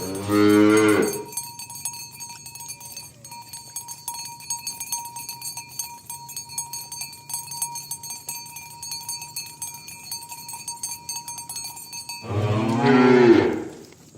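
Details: Morning on a village road as tame cows are driven toward their pen: a short moo opens, cowbells clank and jingle steadily for about ten seconds, then a second moo closes the scene.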